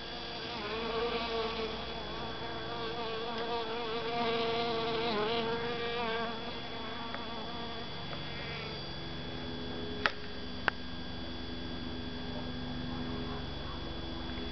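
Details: A honey bee collecting pollen in a calla (Zantedeschia) inflorescence buzzes steadily, its hum wavering in pitch as it moves.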